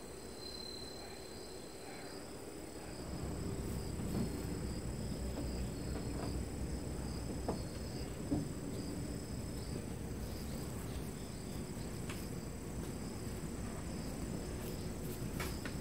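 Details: A friendly, dog-like calico cat purring: a steady low rumble of rapid, dense pulses that strengthens after about three seconds and holds evenly to the end, over a faint constant high hum.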